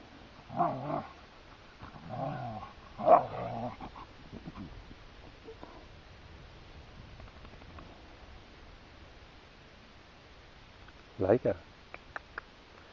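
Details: Siberian Huskies in a playful scuffle on the heath: three short bursts of rasping growls early on, then a long quiet stretch, and a final brief snarl near the end with faint thuds.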